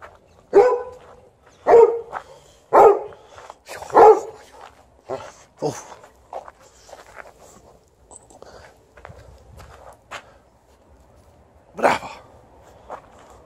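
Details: Complaining outdoors, a Golden Retriever gives a run of four loud, clipped barks about a second apart, then softer grumbling yips and one last sharp bark after a pause, in a late-winter yard with the snow nearly gone.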